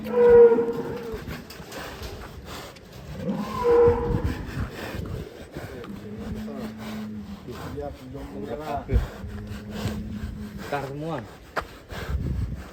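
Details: Cattle, a cute cow with a child riding it: low, drawn-out moos with a steady tone, one long even bellow midway and a falling, wavering call near the end, while people talk over it and handling noises knock in the background.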